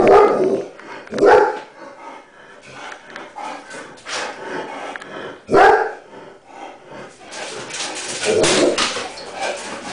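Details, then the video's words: German Shepherd indoors with the window closed, confronting a neighbourhood cat trying to terrorize it in the yard; loud sharp barks at the start, near one second and again around five and a half seconds, with rough rasping sounds between. "Cat takes on GSD"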